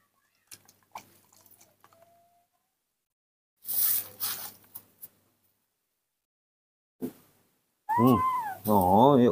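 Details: Hand-raised male baby monkey calling in the morning when he wants to drink milk: loud, high, wavering cries with strong harmonics near the end, after quiet indoor rustling and a woman speaking Indonesian.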